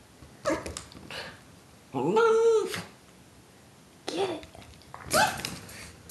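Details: Papillon named Forrest Gump, indoors in a small room, wearing a T-shirt while playing with his noisy ball; short yelps and a drawn-out whining bark around two seconds, mixed with a person urging him to get it.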